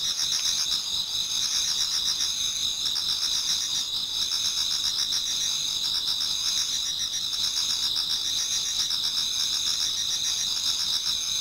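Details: Japanese garden insect chorus in autumn before dawn: many singers produce sustained high ringing tones plus rapid repeated chirping pulses, dense and even for the whole stretch.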